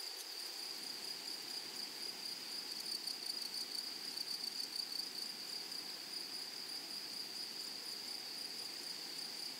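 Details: Meadow grasshoppers form a constant shrill whine over a flowery grassland. The buzz holds at one pitch throughout, with a light flicker of pulses midway and faint background rustle.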